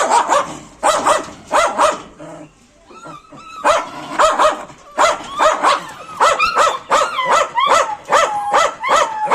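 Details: Pet dogs barking loudly and steadily, about eighty barks a minute, with a short pause near two seconds; high whining yelps mix in between the barks in the second half.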